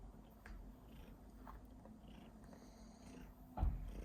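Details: A purring cat that coughs while purring, recorded in a small room; continuous deep, even rumble, interrupted near the end by a sudden louder burst like a cough.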